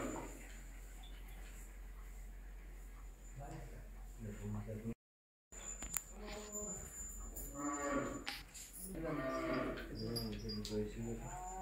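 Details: Miniature Punganur cattle at a farm near Rajahmundry, Andhra Pradesh, India: several deep harmonic moos, rising and falling, some long and drawn out, with people talking and background noise between calls.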